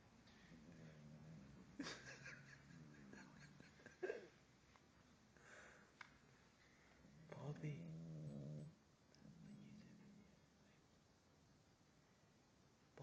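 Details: Bobby, a puppy and heavy sleeper, snoring at a person's feet indoors while the TV plays: low, droning snore breaths drawn out for a second or more, repeated after pauses, with faint voices and clicks in the background.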